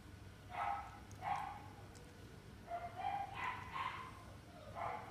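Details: French Bulldog in the Inu no Ie pet shop, Kohoku store, letting out about six short yappy barks in five seconds, some paired closely, over a constant low electrical hum.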